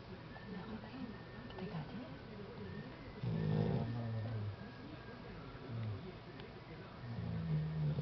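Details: Snoring from Tyson, a dog: deep, grumbling breaths, one long rasping snore in the middle and another starting near the end, with faint room noise between.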